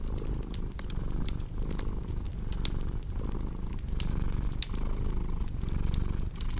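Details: Purring house cat, deep continuous rumble pulsing in regular breath cycles under frequent sharp crackles and pops from a cozy fireplace.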